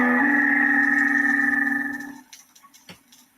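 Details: A minke whale gives a steady, buzzy, metallic tone that holds for about two seconds, then fades; what this call is about is not known.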